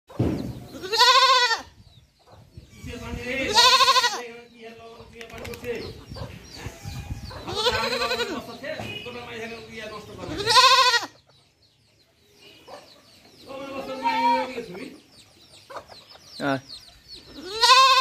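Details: Baby goat bleating: loud, wavering baa calls in irregular bursts, some long and quavering, with quieter bleats between them, human speech, and possible chicken sounds in the background.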